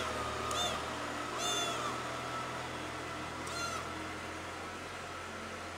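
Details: Pretty, a cat missing its mother, gives three loud, drawn-out meows, each high and slightly bending, spaced about a second and two seconds apart, against a constant low background hum.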